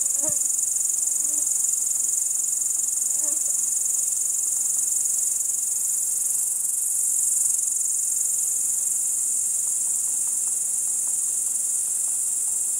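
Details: Night chorus of crickets in Kiili, Estonia, 30 July 2012 around 01:27: continuous shrill high trill with rapid even pulses, holding steady the whole time; a few faint low ticks and knocks early on.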